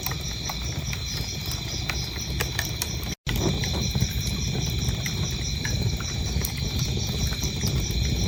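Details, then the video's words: Crickets keep up an even, high-pitched pulsed chirping, broken by one brief dropout, over the dense snapping and crackling of a wood fire. "Relaxing Fireplace 4K and cricket sounds"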